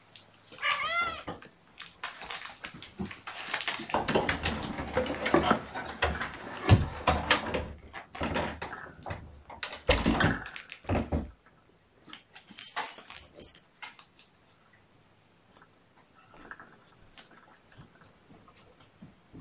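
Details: Mother cat Gamora, indoors on a June 6, 2018 morning with her five kittens born April 14th, calls out for the babysitter: one clear harmonic meow near the start, then a burst of rustling and handling noise before the room falls quiet.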